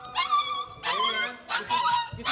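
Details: Siberian Husky puppies in Lahore, Pakistan, giving drawn-out, tonal whines in three or four sustained bursts, each held steady and slightly wavering, with short gaps between them.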